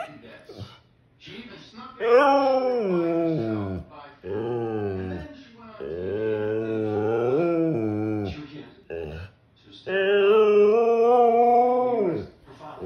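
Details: A Siberian Husky throwing a fit lets out long, wavering, talk-like howls in several drawn-out bursts.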